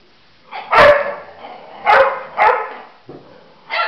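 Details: Labrador Retriever puppy Nella, three months old, with eleven-year-old Libby in a love-hate relationship; four sharp barks in quick succession, broad and harsh, with short gaps, then a fifth bark starting at the end.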